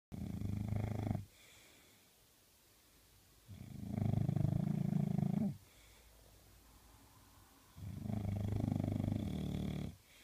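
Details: A puppy English bulldog snores in deep, rasping, low rumbles, each lasting about two seconds.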